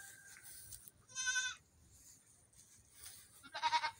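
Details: Goat kids running in the morning; two separate bleats, the first a steady, buzzy, harmonic-rich call, the second a shorter quavering one, with low rustling between them.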